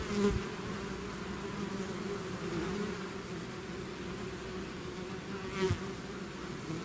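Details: Honeybee-style swarm leaving its hive, buzzing as a steady, dense drone with a low hum around two steady bands, a brief louder pass near the start and another near the end.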